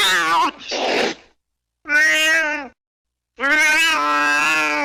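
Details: Cat meowing in three bursts: a rough, breathy opening cry followed by two steady, nasal, sustained meows with gaps between, meant as a sound to frighten rats out of the home.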